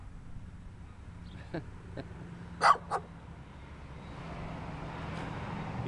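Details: A small dirty dog barks twice in quick succession, sharp bursts after faint earlier yips, over a low background hum.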